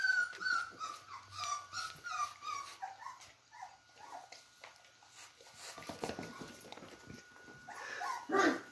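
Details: Beagle puppies at play indoors, giving high thin whimpers and squeaky whines in quick uneven bursts, with a steady faint tone running underneath and scuffling noises.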